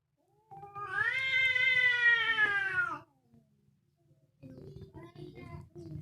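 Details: Fierce cats fighting: a long, harsh, drawn-out yowl lasting about two and a half seconds that sinks slightly at the end. A low growling rumble runs underneath, and rougher, broken snarling follows.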